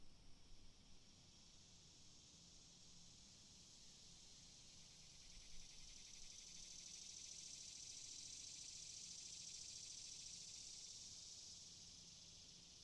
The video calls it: cicadas Free Sound Effect